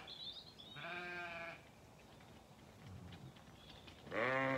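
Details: Lambs at breakfast time on a regenerative pasture farm in County Kilkenny, Ireland. A faint chirp is followed by a clear, tremulous bleat, a quiet pause, then another loud, rising bleat at the end.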